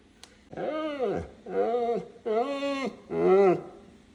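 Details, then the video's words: Neapolitan Mastiff indoors at dinnertime, voicing four drawn-out, harmonic moaning howls, each under a second long, bending up then down in pitch with short pauses between them. "how my Neapolitan Mastiff acts when it’s time for dinner"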